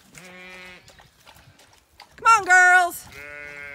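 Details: Zwartbles lambs on a farm in County Kilkenny, Ireland, bleating while being called through a gate. Without aunty ewes among them they head the wrong way. Three drawn-out, wavering bleats, the middle one loud and harsh, with a woman calling.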